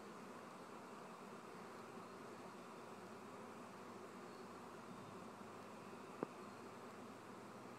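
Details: Honey bee swarm belonging to a family beekeeper, a dense continuous buzzing hum spread over low and middle pitches, steady throughout with one brief sharp click near the end.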